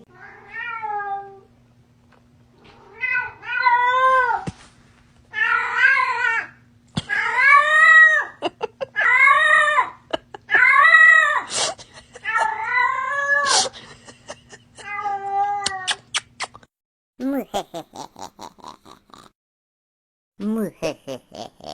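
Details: Domestic cat meowing repeatedly with drawn-out, wailing calls that rise and fall, about a dozen in a row with brief gaps, a few sharper yowls near the end; faint steady hum underneath.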